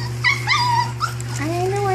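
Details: Puppies from Belle and Lancelot's litter whine indoors: a high, bending whimper that slides down, then a rising, drawn-out whine, with a woman talking over a steady low electrical hum.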